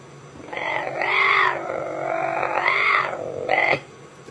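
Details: A male caracal gives a drawn-out, hoarse, croaking 'kerr' that rises and falls over about three seconds.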